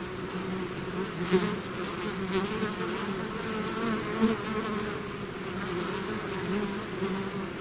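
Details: Buzzing swarm of bees out of the hive, continuous low drone with brief louder passes of single bees near the second and fourth seconds.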